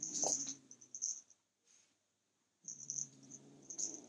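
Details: Male kitten guarding his toy as someone tries to take it, growling low and rumbling in two bouts: the first about a second long, then a gap of near silence, then a second longer rumble, with a steady high-pitched whine throughout.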